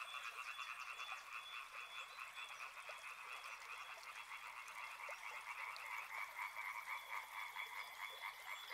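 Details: A massed frog chorus beside a river: quick, irregular croaking pulses layered into a steady rasping drone, softer and slightly uneven in volume, with faint higher whistle-like tones threading through.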